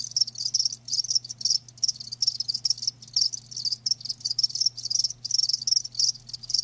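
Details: Bright, pulsing cricket chirps repeat in quick bursts with frequent small gaps, a steady low hum audible beneath the live crickets.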